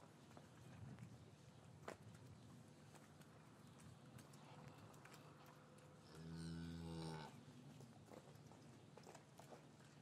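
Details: Cows lowing in an English cattle yard on a winter afternoon, the calves separated from their mothers, taken with a matched pair of Rode M5 microphones: one steady, harmonic low moo lasting about a second, over a quiet rumbling yard background with a single knock.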